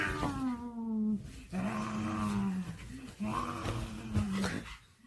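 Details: Pet dog playing a zombie game after watching a zombie drama, giving drawn-out, low, moaning groans in three long bursts indoors, with a woman speaking Korean nearby.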